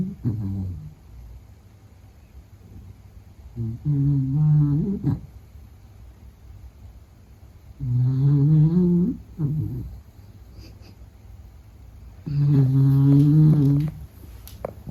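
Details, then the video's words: Sleeping Beagle named Meta snoring, three long humming snores of about a second and a half each, spaced roughly four seconds apart with quiet breathing gaps between, harmonic and droning in tone. "比格犬睡觉白噪声 Snoring"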